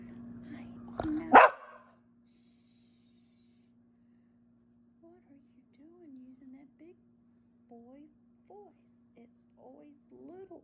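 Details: Sarge, a Blue Heeler, talks back in an evening tantrum before being fed, also throwing toys. One sharp bark opens, then after a silence come soft, wavering, whiny moans and grumbles in short separate bursts.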